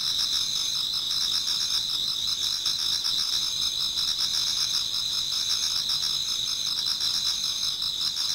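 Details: Shrill, continuous layered trilling from many insects singing in a Japanese garden towards dawn in autumn, with soft rhythmic pulses underneath and an even loudness from start to finish.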